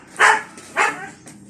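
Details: A noisy dog gives two loud, sharp barks about half a second apart, then a faint trailing yelp, with nothing else heard.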